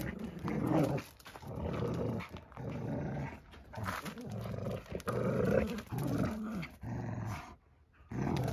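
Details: During play with a pup, Dagmar, a chug, produces uneven low growls, some long and rumbling, others clipped, and a near-silent pause comes toward the end.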